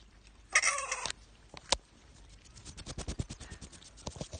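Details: Orphaned or rehabilitating bats kept in care; one loud, raspy squawk lasting about half a second, then a click and a run of rapid tapping and scrabbling sounds.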